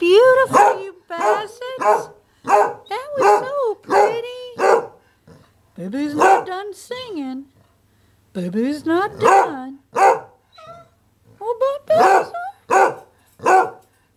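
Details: A pet dog moving from pre-howling into a full howling bout: short, tonal, yodel-like cries that swoop up and down, in quick bursts about every half second with brief pauses, some with rough, bark-like edges.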